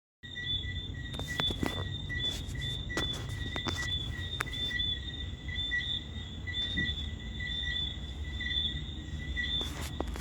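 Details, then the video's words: Crickets and tree frogs on a summer night in Montego Bay, Jamaica, in June: steady high pulsed trilling in two bands runs throughout, with scattered clicks and a low rumble of waves beneath. "crickets and tree frogs on a summer night in Mobay Jamaica"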